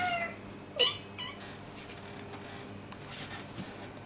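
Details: Indoor house cat asking for food at 1:30 in the middle of the night, with a kitten also present: a brief falling meow opens, then a second short descending meow follows under a second later, leaving low room hiss.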